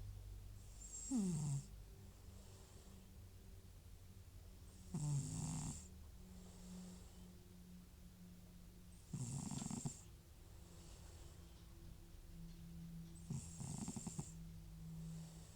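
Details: Old FIV-positive cat Butcher, whose snoring returns when nasal medication stops, asleep indoors; four short wheezy snores come every four seconds or so, each a brief rasping rattle with a hiss, faint low hum between.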